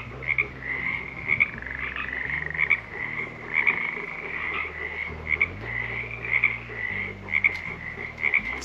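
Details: Wild frogs calling by the creek in Pine Creek Canyon, Red Rock National Conservation Area, during a daytime hike: a steady chorus of bright, short rattling croaks, overlapping and pulsing roughly once per second, over a low background hum.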